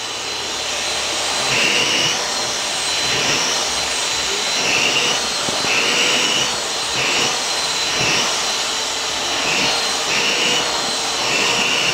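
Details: A vacuum cleaner drones steadily throughout, a broad hiss with a tone pulsing near 3k every second or so, and no animal voice stands out.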